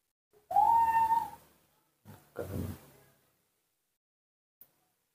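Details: Newborn monkey begging for milk in human care: a loud, clear whistled cry that rises slightly and holds, followed by two hoarse, breathy grunting sounds and a faint click.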